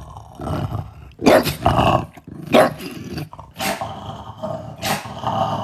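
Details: French Bulldog grumbling and growling in uneven bursts roughly a second apart, harsh throaty outbursts rising over a constant low rumbling background.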